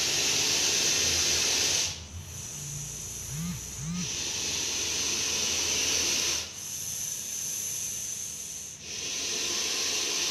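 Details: Deadly venomous Russell's viper captured in Coimbatore hisses loudly and almost continuously in long breaths, each lasting a few seconds with brief gaps between them, while a faint voice is heard underneath.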